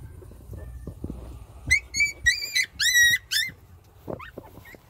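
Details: Puppies breastfeeding give a burst of high, squeaky whines: several short rising and falling squeals in quick succession in the middle, then a lone upward squeak, over a soft low rumble.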